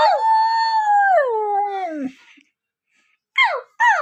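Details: Siberian Husky howling: a long, steady, clear tone that slides smoothly downward and fades after about two seconds, followed by a pause and two short, rising-then-falling yelping howls.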